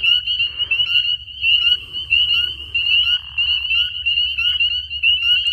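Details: Frogs calling at night in spring from a pond and trees, loud and ear-piercing: a steady high ringing trill held throughout, with short upslurred chirps repeating about every second beneath it and a low hum in the background.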